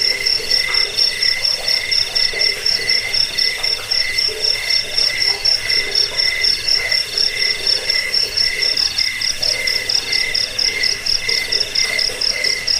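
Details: A cricket's sustained, high-pitched pulsing chirp, presented as a rat repellent, a sleep aid and a model song for training birds, ringing without pause over a lower companion tone, with intermittent soft croaking calls in the background.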